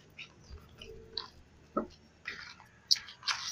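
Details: Indoors, short crunchy chewing and biting bursts with soft clicks, and no animal voice.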